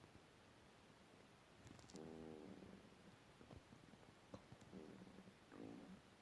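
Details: Pet cat asleep and snoring: soft low rumbling breaths with faint harmonic bands, a longer one near two seconds and further short snores, set in a quiet room with a few clicks.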